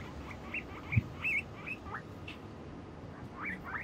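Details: Pet guinea pig trotting across a bridge, going away and returning; a string of short, thin high chirps, one wavering, some sliding upward, spaced irregularly with one low thump over steady background noise.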